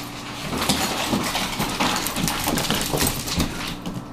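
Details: Four female Pekingese, two resident dogs and two fosters, one of them a Maltese-Pekingese mix, playing hard and loud indoors; dense, rough bursts of scuffling growl-like noise run continuously with barely a pause, over a steady low hum.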